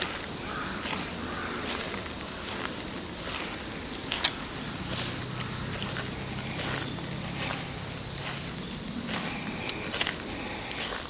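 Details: Insects singing on 10/8, heard together with crows: a continuous high, shrill trill with quick pulsed bursts early on, over a low steady hum from about five seconds onward and occasional faint knocks.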